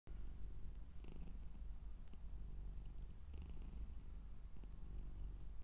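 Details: Scottish Straight cat purring indoors: a steady, deep, low rumble runs without a break through the whole stretch, with a few faint soft rustles over it.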